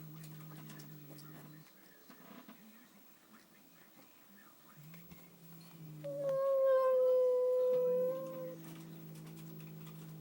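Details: Indoor house cat after spotting a new cat, giving a single sustained, even-pitched whining howl of roughly two seconds, with a low humming drone and light room sounds before and after.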